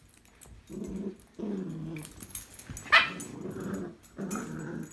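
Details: Tricolour and Blenheim Cavalier King Charles Spaniels tussling over a string toy, heard as long, low rumbling growls in repeated stretches, broken by one brief sharp yelp in the middle, with soft indoor background noise.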